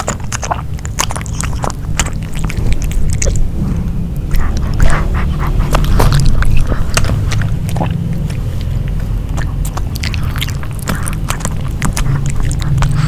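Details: Dog Nino chews grilled pork indoors. Steady, fast crunching and sharp biting clicks repeat several times a second, with heavy low thumps underneath and no voices.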